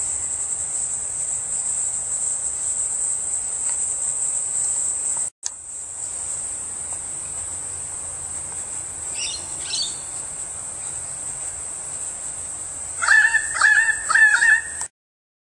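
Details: Bright green-bellied cricket producing a continuous high, piercing trill, interrupted once by a click; near the end a few brief chirping bird notes break in before the sound stops.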